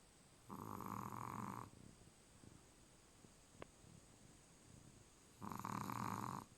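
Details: Charlie, a Chihuahua, fast asleep indoors, gives two drawn-out buzzy snores about five seconds apart. Each lasts just over a second and has a steady nasal hum, with quiet breathing in the pause between them.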